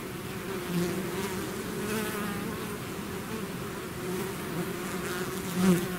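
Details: Swarm of bees pouring from the hive, steady layered droning that swells slightly near the end as a bee zips close, otherwise an even, enveloping buzz.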